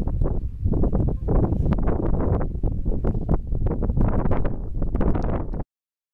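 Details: A southern elephant seal (Mirounga leonina) resting in Grytviken, an old whaling station on South Georgia, on 8 April 2012, gives deep, guttural, pulsing rumbles that run on without a break.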